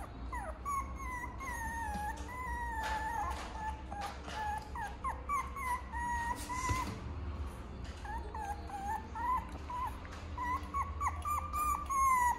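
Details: Tiny all-black teacup toy poodle giving high, thin whimpering whines, wavering and sliding up and down in short repeated bursts, some falling and some rising, with a steady low rumble underneath.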